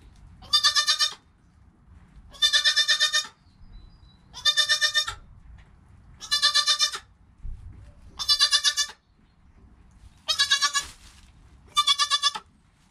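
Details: Newborn goat kid named Joel, within his first hour of life, with his calm mother Penny nearby; seven high, harmonically rich bleats, each about half a second long, repeated roughly every two seconds over low background rumble.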